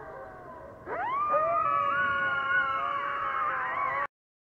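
Coyotes howl together, voices sweeping up sharply and then holding long, wavering high notes.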